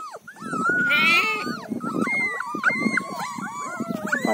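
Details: Mudhol Hound puppies, an Indian breed, 23 days old, crying together in a busy chorus of overlapping high, wavering whines and yelps that rise and fall without pause.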